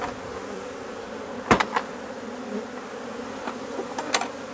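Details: Honey bees in a colony being replaced because it has drone-laying workers, giving a continuous droning hum with a few sudden knocks and taps partway through.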